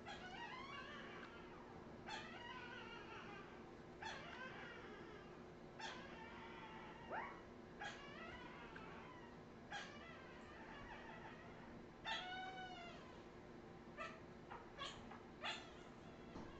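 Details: Redwing Australian Terrier puppies, 2018, whimpering and yipping in a run of short squeals, some rising and some falling, coming every second or two, with a constant low hum in the room.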